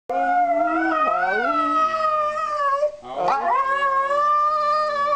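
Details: Two Siberian Huskies howl together in their daily duet. Long, steady, tonal howls with layered pitches; one voice dips and slides downward near the middle, then a fresh howl rises and holds to the end.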